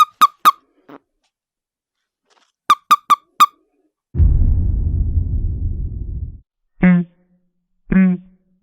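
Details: A toad 'scolds' with bursts of short, sharp squeaks in twos and threes. A long low rumbling blast follows, then two longer, lower, drawn-out croaking squeaks.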